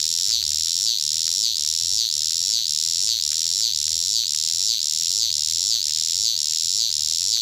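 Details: Cicada heard at close range, its piercing buzz rhythmically wavering with short dips about twice a second, evenly repeated throughout.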